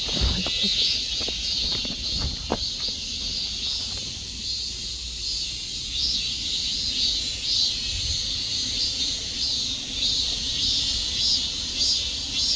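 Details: A continuous high cicada buzz with faint pulsing, a few soft clicks and knocks early on, then the steady insect hiss alone.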